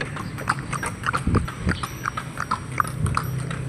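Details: Horse being ridden on an outing, hooves giving a quick run of sharp clip-clop beats, roughly three to four per second, with light background noise.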